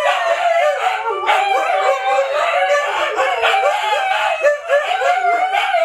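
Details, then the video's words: Siberian Huskies, adults and puppies, in a continuous howling chorus, many overlapping wavering voices rising and dipping repeatedly, with no pause across the recording. "SIberian Husky Howling"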